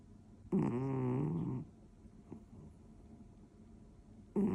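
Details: Male orange tabby British Shorthair, born 2014, asleep and snoring beside its owner indoors on New Year's Day 2025; a grunting, piggy snore of about one second, then quiet breathing before the next snore begins.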